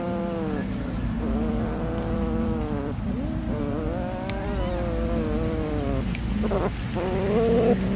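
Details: Cat being fed fish, giving long drawn, wavering meows that run almost without pause and overlap one another, with a steady low hum beneath.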